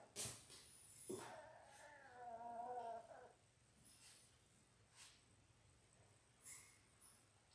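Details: Labrador Retriever puppies three weeks old, one of six littermates born January 18, 2022, indoors in a play room on February 12: a drawn-out, wavering, nasal whine lasting about two seconds after a sharp yelp, then soft rustling.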